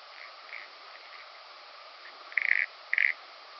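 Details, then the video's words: Common pincer grasshopper on Pag, Croatia, 2 September 2019, picked up through a Pettersson D 100 ultrasound detector: two short, pulsed, buzzy bursts about half a second apart near the end, preceded by faint scratchy ticks over steady hiss. "Calliptamus italicus -- Italienische Schönschrecke -- Common Pincer Grasshopper"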